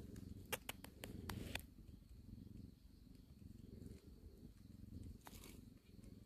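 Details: Cat from a family living in a storage shed purring softly: a low, steady, throbbing rumble running through the whole stretch, with a few sharp clicks and taps early on.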